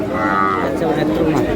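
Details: Cows being bought at Aftabganj haat cattle market, bound for Netrokona: a brief, full-toned moo sounds at the start, followed by people talking and market bustle.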